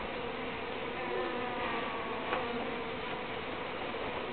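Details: Uruçu bees giving a steady, low droning buzz with layered humming tones that holds unbroken throughout, with a brief faint click near the middle.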